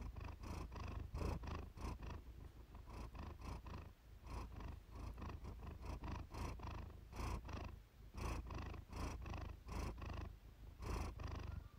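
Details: Purring Siamese cat named Iris, captured as a soothing relaxation recording; long, even, low rumble with regular breathy pulses, about one per second, continuing throughout.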